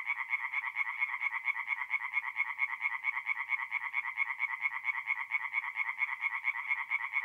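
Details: Tree frogs singing at night at a forest pond in mid-April in north-eastern Italy; dense pulsed croaking repeated rapidly, about two pulses a second, a steady rhythmic chorus with no other sounds.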